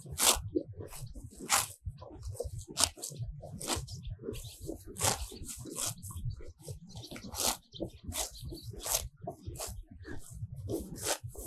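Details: Close-up of grazing cows in a sunlit meadow, eating fresh grass. Sharp tearing bursts mix with crunchy chewing and low munching, irregularly spaced, some rips louder and nearer than others.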